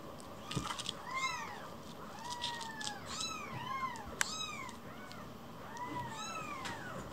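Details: Rescued baby kitten, sulking and lost inside a house, mewing while another kitten hugs it from behind: a series of thin, arched, rising-then-falling meows, about six in seven seconds, with a faint steady high hiss underneath.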